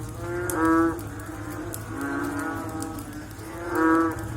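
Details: A frog calls after rain, giving deep, lowing calls, each under a second long, repeated every second or two.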